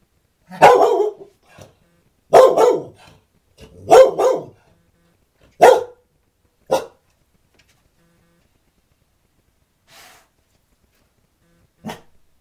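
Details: Female Scottish Terrier indoors by the front door, barking as a friendly neighbourhood mail carrier approaches: four loud harsh barks in the first six seconds, then two softer single barks and a faint final yap, with quiet gaps between.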